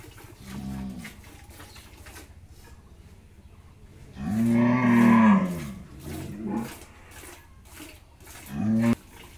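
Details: Jersey-Mundi cross cow that has just calved for the first time, with her bull calf, Pabna, Bangladesh. A short low moo, then a long, loud bellow, followed by a few quieter calls and a brief final moo.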